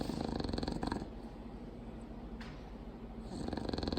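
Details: Sleeping female bulldog giving loud, throaty snores: fast, rattling pulses at the start and end, with a quieter stretch of hissing breath between them.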